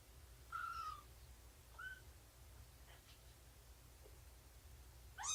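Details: Morning nursing and play session with Shelby, an abandoned mother cat estimated at two years old, and her kittens. A short, thin mew falls slightly, then a brief rising squeak follows in a quiet indoor room with low hum.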